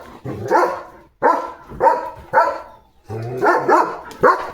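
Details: Pet German Shepherd named Leo, with a puppy around, gives loud, harsh barks in uneven bursts, about six in under five seconds, some doubled in quick pairs.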